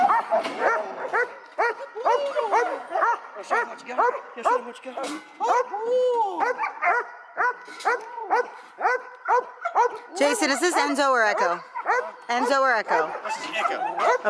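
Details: Echo, a seven-month-old male dog in bitework training, barks rapidly and repeatedly, about two sharp, arched barks per second, with a brief higher, wavering yelping burst near the end.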